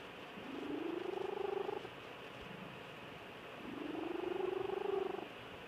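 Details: Sleeping house cat Georgia Lass gives two long, rasping, gently rising snores about three seconds apart, each a buzzy purr-like drone swelling then cutting off, with quiet indoor background between.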